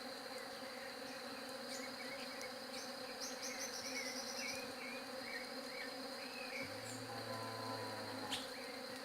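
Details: Steady buzzing of bees, a dense low drone, while small birds add short chirps in the middle; near the end a deeper humming tone joins for about two seconds before fading.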